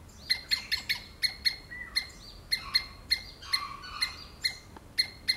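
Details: Loud, clipped squirrel screams repeat in quick succession, each note a bright, sharp chip with strong overtones, spaced about every third of a second, occasionally slurring into a brief rasp.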